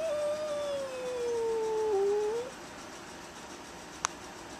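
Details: Velvet, a little black female Bombay cat, yowls at the neighbour's aggressive cat through a storm door, tail puffed up: one long, drawn-out wavering howl slowly sliding lower, then lifting at the end, followed by a single sharp click.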